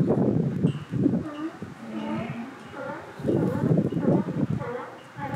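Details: A northern elephant seal (Mirounga angustirostris) pup gives wavering, voice-like wails with gruff, throaty bursts in between.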